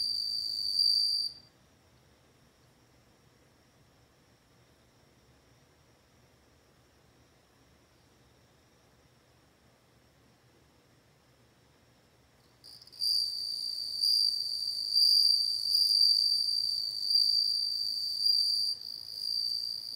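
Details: A bell cricket gives a brief high ringing note, falls silent for about eleven seconds, then rings again strongly and continuously with slight wavering in loudness until the end.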